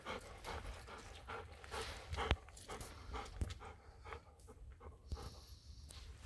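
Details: Golden Retriever outdoors on an evening walk just after rain stopped, heading toward a field before going home; soft rhythmic breathy panting bursts over a low rumbling outdoor background, with a few sharp clicks and knocks.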